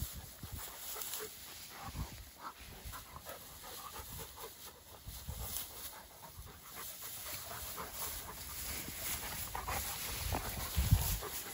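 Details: Two Dogo Argentino dogs playing outdoors; steady rapid panting breaths with soft broadband rasps, a little scuffling, and a louder burst near the end, over faint background hiss.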